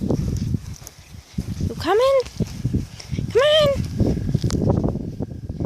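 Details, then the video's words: German Shepherd puppies, five weeks old, at play outdoors: two clear, rising-then-falling whimpering whines about a second and a half apart, over steady rustling and footsteps. "German Shepherd puppies playing outside! 5 weeks old!"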